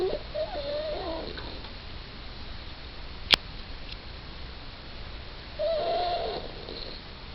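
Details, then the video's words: Sleeping Yorkshire Terrier named Suzette giving two short, high, nasal whimpers, one at the start and one near the end, separated by quiet breathing and a single sharp click. "Suzette Snoring"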